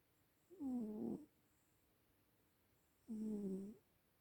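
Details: Elderly cat asleep and snoring, giving two rough, low, wavering breaths of under a second each, spaced about two and a half seconds apart, against near silence.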